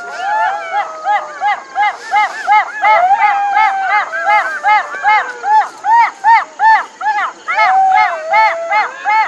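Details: Jackals yipping in a loud chorus: a steady run of short, arched, rising-and-falling cries repeated almost three times a second, with a few longer wavering wails weaving underneath.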